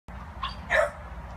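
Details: Female American Bully puppy offered by a Thailand breeder gives a single short bark, a faint yip just before it, over steady low room hum.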